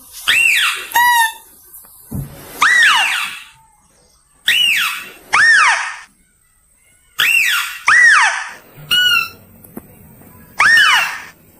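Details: Loud mouse-deer calls, clear voice for luring: repeated harsh arched squeals, often in pairs, some followed by short buzzy yelps, coming in irregular bursts about twenty times a minute.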